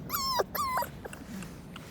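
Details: Korean Jindo puppy, a black-and-tan female living with a surrogate mother; two clear high whines, each flat then dipping, followed by quieter rustling and faint murmurs.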